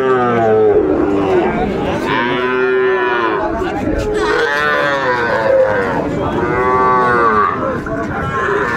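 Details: Sahiwal bull calves lowing at Ambari market, Dinajpur, Bangladesh, early Ramadan, 11 March 2024: a run of repeated arching moos, one after another every second or two, overlapping at times, with crowd noise beneath.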